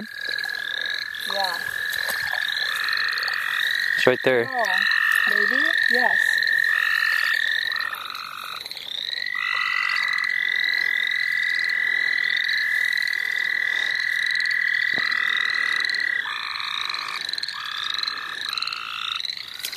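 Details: Chorus of frogs at St. Olaf College Natural Lands while people catch frogs. Sustained buzzing trills start and stop in long stretches, overlaid by rapid, regularly repeated upslurred chirps. Brief human voices come through around the fourth to sixth seconds.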